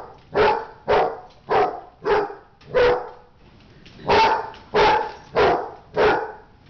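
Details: Fighting dog gives rapid harsh barks, ten loud bursts in under seven seconds, a short gap midway, then the barking resumes at the same quick rhythm.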